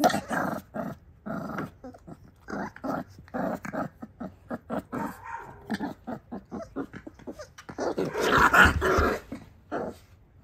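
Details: Female XL American Bully puppy play-fighting with her mother indoors; rapid throaty growls pulse in quick succession, rising to a louder, harsher stretch near the end.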